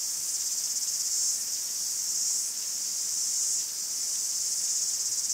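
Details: Greek forest cicadas sing together in an unbroken high-pitched buzz, its loudness rising and falling gently over a few seconds, with a fine pulsing grain throughout and nothing else audible.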